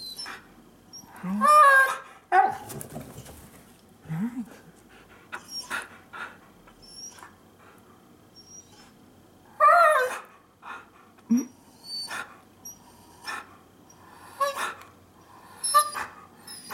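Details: Siberian Huskies Rai, a chocolate-and-white male born December 2010 in Saitama, and Nagi, a red-and-white female born July 2013 in Shiga, indoors while Rai has allergic muzzle dermatitis; loud wavering whines and yowls in bursts, short rising moans, quiet pauses between.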